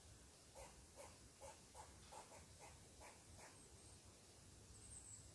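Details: Angry squirrel scolding someone seated on its tree, giving a fast run of short rasping barks, roughly three per second, over a soft outdoor hiss with a faint high bird note at the end.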